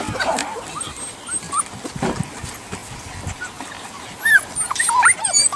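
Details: Puppies, with soft scattered whimpers and then a run of high, thin yips and whines that rise and fall near the end, over low background rustling and faint noise.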